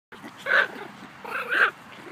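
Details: Yorkie and toy poodle dogs playing together; two short, high, yapping barks about a second apart, each a quick harmonic burst, with quiet room noise in between.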